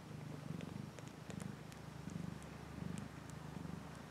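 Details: Pet cat giving a rhythmic low purr, pulsing rumble cycles repeating under a second apart, with light clicking and rustling noises scattered over the top.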